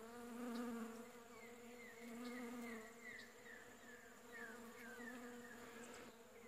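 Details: Bees from backyard hives all over a shrub in bloom, collecting pollen during winter, late July 2015: rich droning buzz with harmonics, louder in the first seconds, while thin descending chirps repeat in the background.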